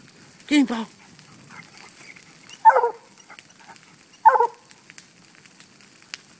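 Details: Fog, a black and tan coonhound, barks while treeing a raccoon let out of a cage; three spaced barks about every one and a half seconds, the first lower and drawn out.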